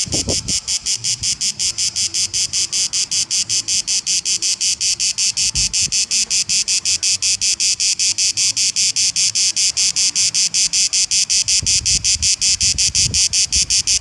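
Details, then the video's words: A cicada in Kefalonia, Greece, sings a loud, harsh, rapidly pulsing buzz that runs steadily without a break. "Cicadas sound in Kefalonia"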